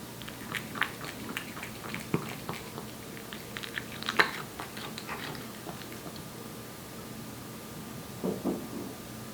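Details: Wet food being chewed by Aeppi, a one-year-old Korean Shorthair cat, in a small room: soft irregular smacking clicks, a louder snap near the middle and a brief cluster of chews toward the end, low background hum.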